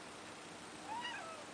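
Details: Neo, a pet cat seeing snow for the first time and wanting to go outside, gives a single short rising-then-falling meow against a quiet indoor background.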